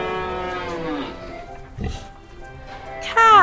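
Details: Cow mooing on a farm: a low, harmonic moo that slides downward in pitch over about a second, then fades into soft background music before a voice begins at the end.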